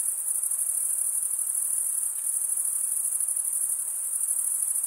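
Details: Chorus of chirping crickets, males rubbing their wings together, forming an unbroken piercing high whine with rapid pulsation, level and unchanging over the few seconds, with faint soft hiss beneath and nothing else clear.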